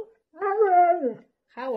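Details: Husky vocalising in a wavering, talk-like moan that rises and falls for almost a second, followed after a pause by a second short tonal burst.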